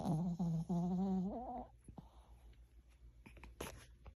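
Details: Sleeping Pomeranian dog snoring indoors: a quick run of four short, droning, buzzy tonal snores in the first second and a half, the last one rising slightly, then soft rustling and a brief noise burst.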